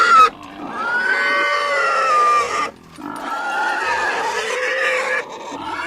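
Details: Domestic pig squealing: two long, loud, shrill harmonic screams, the first about two and a half seconds with a gently falling pitch, a brief gap, then a second sustained squeal lasting over two seconds, ending in quieter noise.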